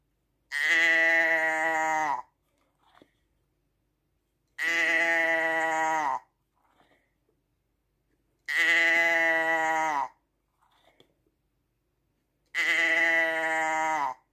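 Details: Sheep bleating in a long looped recording: four identical drawn-out, steady, nasal bleats of about one and a half seconds each, returning every four seconds with a slight downward bend at the end, and near silence between them.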